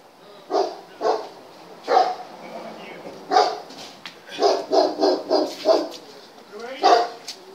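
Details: German Shepherd barking during test number 39: repeated sharp barks, some in quick clusters of four, over a noisy background with human voices mixed in.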